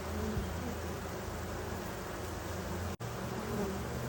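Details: Honey bees gathered below their hive at 8 p.m., unable to squeeze through the entrance holes. A steady low hum holds throughout, with a brief dropout near the third second.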